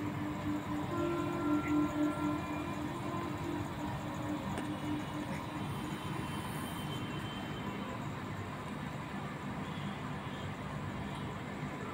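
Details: A rumbling train rolls past with steady rail noise and brief horn-like tones near the start, and no animal voice.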